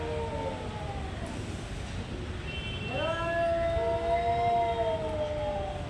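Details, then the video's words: Cats fighting, giving drawn-out wavering yowls: a faint falling cry first, then a long rising-and-held harmonic wail from about three seconds onward, over steady low rumbling background noise. "Cat making weird noise | Cat fight"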